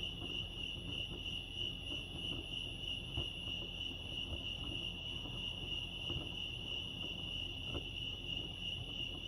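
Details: At Lake Arrowhead in California, crickets keep up a continuous shrill ringing note that never pauses, level in loudness, set against low background rumble and occasional faint taps.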